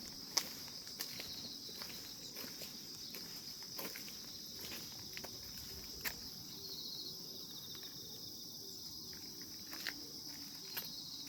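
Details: Insects in grass on a calm morning, their steady, thin, high-pitched ringing drone running unbroken beneath scattered sharp clicks and soft footstep-like taps.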